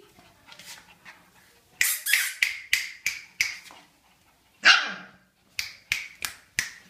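Siberian husky puppies give a quick run of high, sharp yips, several to the second.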